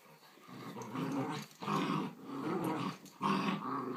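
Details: Giant Schnauzer puppy with an adult miniature Schnauzer: three distinct bursts of harsh, rasping growling, each a second or so long, separated by short quiet gaps.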